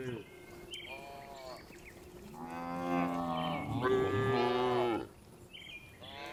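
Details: A tame cow being herded back to the barn on a village farm in the afternoon gives a long, harmonic moo that rises and falls over a few seconds.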